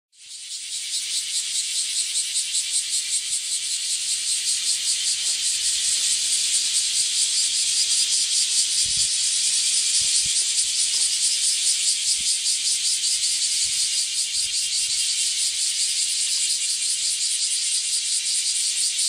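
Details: Bear cicadas in full chorus from early morning along an alley in front of a house, a deafening, loud, dense, high shrilling buzz with a fast, steady pulse.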